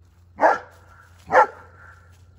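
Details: German Shepherd named Odin outdoors at night by a backyard fire pit, giving two loud, broad barks about a second apart, each rising sharply and fading, over a low steady hum.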